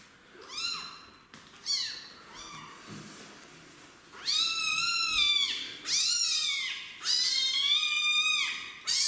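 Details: Kitten meowing loudly while resisting a bath indoors: a faint start, then from the fourth second long, loud, harmonic-rich meows that rise and then fall, about four in a row with short pauses between.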